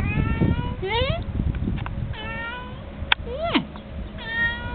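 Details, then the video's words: Young house cat wanting attention, giving clear meows that climb upward and then bend down, several in quick succession, one sliding sharply higher, with a low voice and faint household hum behind. "Kitty wanting attention"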